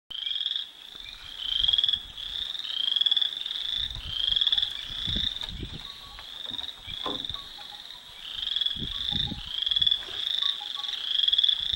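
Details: Frogs call in a steady, high-pitched evening chorus of trilled and chirping notes.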